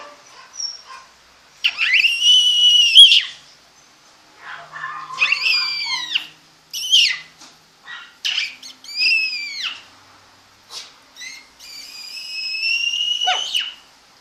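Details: Apple-head mini pocket Chihuahua puppies raised at home in Monterrey, Mexico, whimpering in a run of thin, high, rising-and-falling whines, some drawn out over a second, others clipped short, separated by brief silences.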